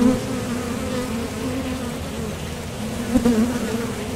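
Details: Low, continuous hum of honeybee wings at a top bar hive entrance as workers come and go from foraging, with one bee buzzing louder past the recorder just after three seconds.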